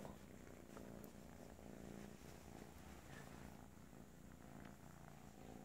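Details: Continuous low rumbling purr from a kitten, steady throughout with regular pulsing and no breaks.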